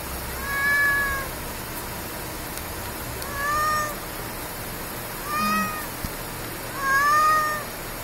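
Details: Stray cat at a convenience-store parking lot after dark, meowing as if asking for something: four clear meows spaced one to two seconds apart, the last longest, each with a rise-and-fall contour over steady ambient hum.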